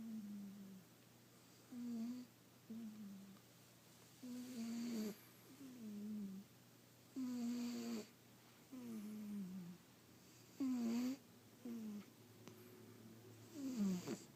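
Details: A cat sleeping comfortably, its snores coming as soft humming tones that dip and rise in pitch, about a dozen over the stretch at uneven intervals, against a low electrical hum indoors.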